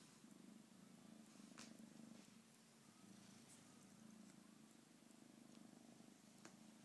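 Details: Continuous low purr from a pet cat, rhythmic pulsing rumble across the whole stretch with a few faint taps and rustles.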